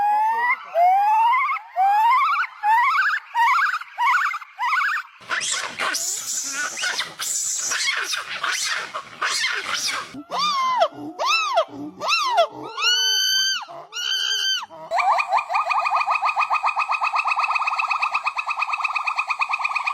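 Several monkeys calling in turn: rising whoops, harsh screeches, arched squeals and a buzzy trill.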